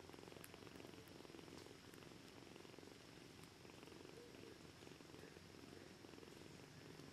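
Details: Hungry kittens named Socrates and Aphrodite during feeding time, giving a continuous soft purr that stays even for the whole stretch, mixed with constant background hiss and a few light taps.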